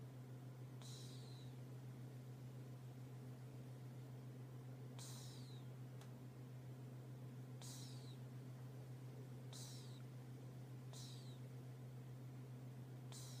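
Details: Snoring from a sleeping cat: six thin, falling whistle-like breaths spaced about one and a half to four seconds apart, carried over a loud, unbroken low droning hum.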